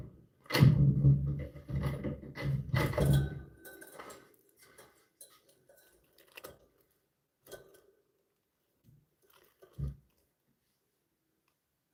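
Dull thumps, knocks and handling noises in a small room, with no bird voices.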